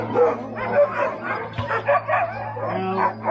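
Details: Alaskan Husky sled dogs at a dog sledding kennel in Willow, Alaska, a large team gathered together; overlapping yips, barks and howl-like harmonic cries from many dogs at once, rising and falling in a dense, irregular chorus.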